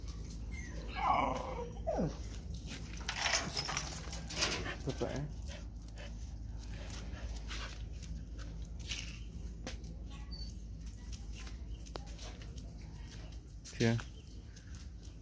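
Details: Phu Quoc Ridgeback dog, a female a few days from giving birth, gives soft whining whimpers early on amid broadband rustling and handling noise, followed by quieter stretches with scattered clicks and a brief loud knock near the end.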